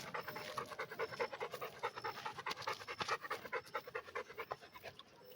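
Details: A red Pit Bull dog panting quickly and steadily, about two to three breathy huffs per second, each a soft rasping burst with a slightly uneven rhythm; no other clear sounds.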